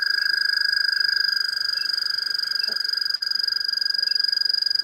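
An American toad gives a long, steady, high musical trill that runs without a break.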